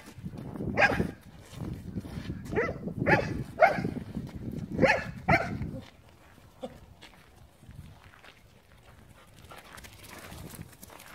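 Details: Aslan, a Leonberger dog, barking during play: about six loud, deep barks spaced roughly a second apart, then quieter rustling and faint background noise.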